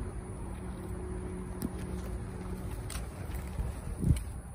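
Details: Low engine-like rumble with steady hum and a few clicks; no animal sounds.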